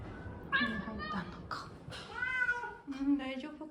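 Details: A young female tortoiseshell cat, a rescued former stray, meows repeatedly in drawn-out, wavering cries in a soft carrier on arrival at a new home around dawn after a long move, with quiet human speech in the background.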